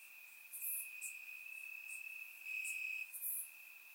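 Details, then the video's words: Crickets in grass on a warm Bulgarian summer night, captured with a surround microphone: a constant thin high trill, briefly louder near the middle, punctuated by quick sharp chirps higher still. "Cricket Sounds - Crickets Chirping at Night"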